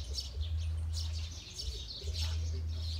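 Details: Thongbai, a bull Asian elephant at an elephant study centre in Thailand, "sings" with deep, steady rumbles, two long low hums with a pause between.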